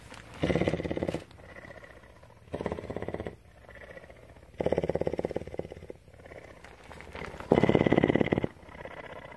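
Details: Steady purring by Tawney, a mountain lion kept at CARE, Bridgeport, Texas: four loud, buzzing pulsed bursts roughly every two seconds, with lower, gentler purring filling the gaps.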